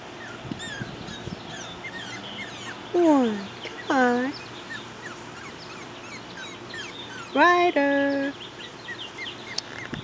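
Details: Puppies on their first time outside, giving a few loud harmonic whining yelps that sweep down then level off, around three, four and seven to eight seconds, over soft background chirps of birds.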